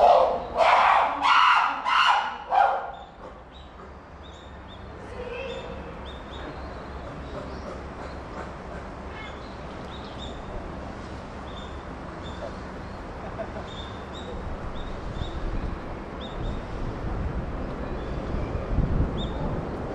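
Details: Chimpanzee Puteri crying out at Tennoji Zoo in December 2021: a few loud, broad harsh screams in the first three seconds, then a quiet stretch of low background murmur with faint distant calls.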